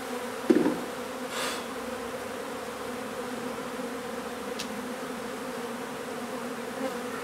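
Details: Steady buzzing of a honey bee hive being relocated from an old home in Donna, Texas, in hot weather: a continuous low hum with harmonics, opening with a single knock and a faint scrape.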